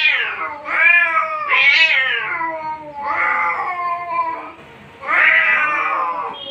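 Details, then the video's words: Angry cat in a fight, giving loud drawn-out wailing yowls with strong harmonics, rising then falling, in about four long bursts separated by short pauses. "Laigar in angry mood | Cat fighting seen | Angry cat"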